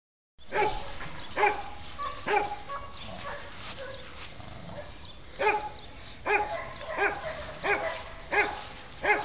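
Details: Two young dogs, a red male aged nine months and a black female aged eight months, with short deep barks repeated roughly every second, in irregular bursts over steady background noise.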